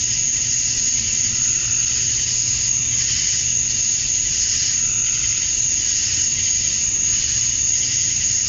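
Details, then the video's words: Summer dusk chorus of male cicadas in Georgia, USA, calling to attract females: an unbroken, very high whining buzz with a sharp steady tone on top, gently swelling and fading in loudness. "Cicadas at Dusk, Summer Night"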